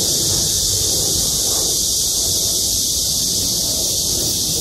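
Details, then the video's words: Chorus of cicadas settled in trees above a parking lot at Gwangmyeong City Hall, a continuous shrill buzzing wall of sound, even and unvarying, with slight low-pitched background noise. "맴맴맴 매미소리. 매미들의 합창"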